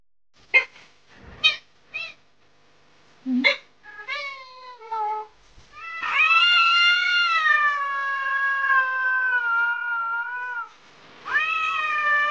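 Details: Domestic cat making a few short clicks and brief mews, then a long sustained wailing meow of nearly five seconds, followed by the loud start of another meow.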